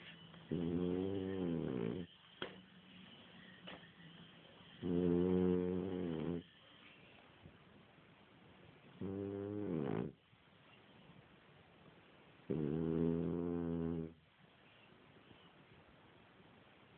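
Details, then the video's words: French Bulldog snoring while sleeping indoors as someone tries to wake it; four long raspy, harmonic-rich snores, each about one and a half seconds, repeated roughly every four seconds with quiet gaps between. "french bulldog snoring"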